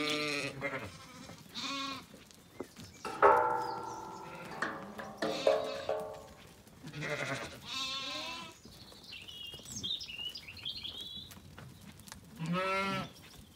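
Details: Evening on a County Kilkenny farm in Ireland: Zwartbles ewes and a lamb calling back and forth as they settle for the night after feeding. Loud, wavering bleats repeat every couple of seconds, a birdsong phrase trills between them.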